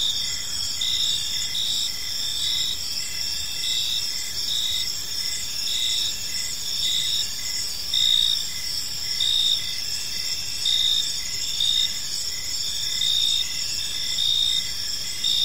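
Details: Evening park ambience of many crickets: a dense, ringing high-pitched chorus layered over short repeated chirps coming about once every second or so, continuous and even throughout, soft low-frequency hum underneath.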